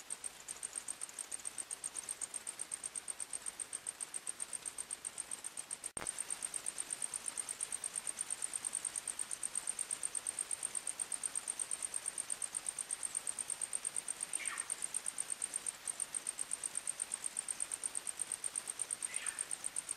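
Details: Forest crickets at night keep up an unbroken, piercing high chirp in quick regular pulses; a sharp click near the start and two faint, brief descending calls later sit behind it.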